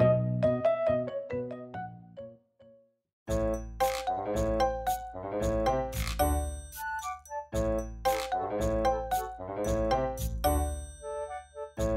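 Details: Cheerful instrumental music with bright chiming, bell-like notes and plucked tones, after a brief pause near the start; no animal voices.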